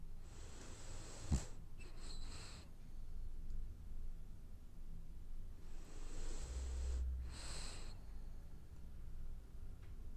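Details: French Bulldog asleep and dreaming, two cycles of hissing, whistly snoring breaths, each closing with a double snort, spaced about five seconds apart over soft indoor hum.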